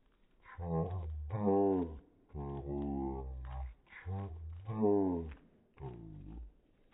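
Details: Cane Corso dog searching for the cat, giving a run of low, harmonic-rich moaning vocalizations: about six drawn-out bursts of half a second to a second each, some bending upward then sliding down, separated by short quiet gaps.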